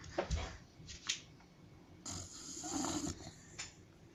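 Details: A white pet dog snoring in its sleep: a couple of snorting breaths, then a longer rough, rasping exhalation, and a final short snort, indoors.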